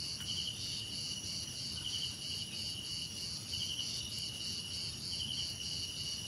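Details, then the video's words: Dense cricket chorus of piercing, evenly pulsing trills at several high pitches, unbroken throughout, with occasional short buzzy flourishes and soft low background noise. "Relaxing Cricket Sounds"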